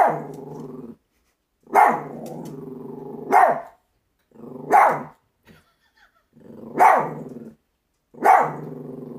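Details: A female Chihuahua barking at nothing, as stated, until she falls off a table: sharp barks about every one and a half seconds, each trailing into a low, rough, growly tail, with short silences between them.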